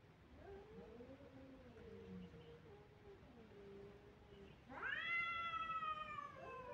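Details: Crying kittens: soft, low, wavering mews over a light background hiss, then a sudden loud cry that jumps upward and holds a bright, harmonic pitch to the end.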